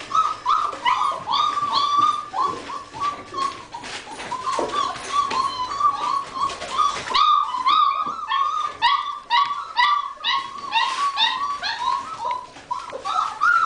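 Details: Weimaraner puppies, five weeks old, from the litter of Rembrandt and Pearl, whimpering and yipping together in a steady high-pitched chorus of short, overlapping cries with brief sharper yelps throughout.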